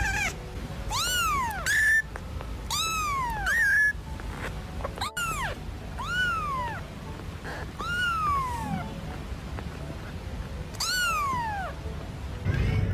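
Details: A kitten meowing repeatedly, about seven plaintive meows over thirteen seconds, each rising briefly then sliding down in a high, harmonic-rich arc, spaced one to two seconds apart, with faint background rustling.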